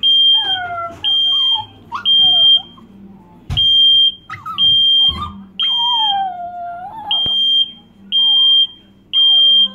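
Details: Chihuahua indoors howling at a beeping smoke detector, wavering drawn-out howls that slide up and down between regular high electronic beeps, with faint speech.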